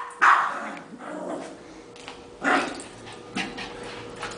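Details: Pet Yorkshire terrier at play with a ball indoors: one sharp bark, then quieter scattered yips and barks spaced irregularly over a few seconds, with a low hum in the background.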